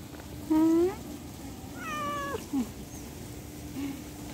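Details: House cat calling out about separation from its owner: a bright short meow, then a longer falling meow and a brief low chirp, followed by quiet background hum.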